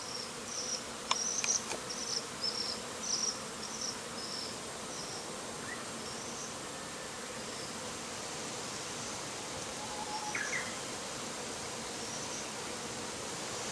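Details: Agitated Japanese honey bees buzz around the hive entrance as heavy smoke from a bonfire ten metres off drifts toward the hive; continuous droning hum with a few louder knocks near the start and scattered high chirps.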